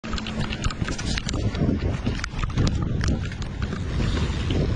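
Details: A big black drum caught surf fishing on the Florida panhandle near Pensacola and Navarre, held out of water before release, gives loud, deep, rapid drumming grunts over a rumble of wind and surf.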